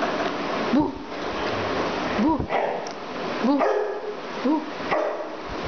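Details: A dog named Tobie barking: five short, rising-falling barks spaced about a second apart, over a constant loud background hiss.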